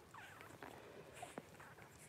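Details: Litter of five Blenheim Cavalier King Charles Spaniel puppies, two girls and three boys, 12 days old, born at New Year's 2023: faint, thin squeaky whines with curving pitch, brief and scattered over steady background hiss.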